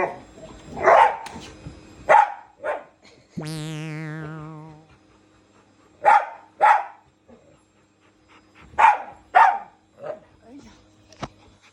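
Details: Indoors, a Shiba Inu and a Labrador take on a running vacuum cleaner, barking in pairs of sharp barks every few seconds, with a falling whistle-like sound effect and light background music.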